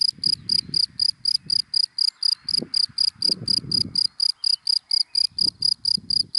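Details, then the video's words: High, rapid chirps from a cricket hidden in dry grass by day, evenly repeated several times a second, with scattered low thumps and rustles underneath. "Sound of Cricket in Dry Grass in the Daytime"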